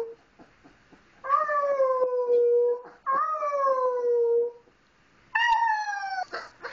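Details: First howl of Misun, a young wolf pup taken in with three siblings in 2010; three separate wavering cries, each opening sharply then drooping gradually in pitch for one to two seconds, separated by quiet pauses.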